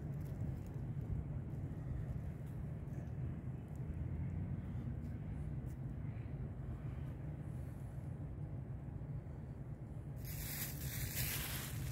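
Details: Only steady low traffic rumble is heard, with a brief burst of broadband noise near the end. No animal voice stands out above the vehicle noise.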